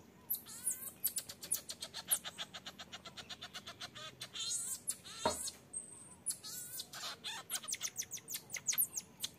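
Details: Infant marmoset asking its mother to nurse while she sternly refuses. Dense rapid chirps and high trills run almost without pause, broken by a single sharp thump midway, then resume.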